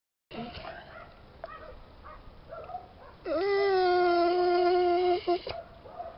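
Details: Jessy, a Bernese Mountain Dog, vocalising out of boredom: after soft grumbles, a loud, steady, tonal howl-whine holds one pitch for about two seconds, then breaks off, with faint low mutterings before it.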